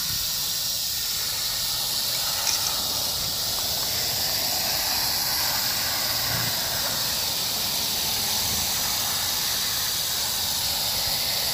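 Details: Rattle of a rattlesnake filmed July 1, 2018: an unbroken, sizzling high buzz sustained at an even level throughout, with no pauses, over faint low-frequency background noise.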